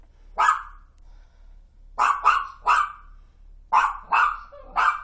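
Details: Toy fox terrier barking in the night after a crash across the street woke the house at 1:26 am; sharp, loud barks, one alone then quick bursts of two and three, about eight in all.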